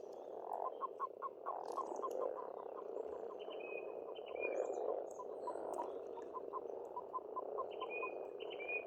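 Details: Frog chorus at a pond in Estonia in spring: a dense, continuous croaking mass with rapid clicking pulses in runs, and faint high bird whistles and chirps above.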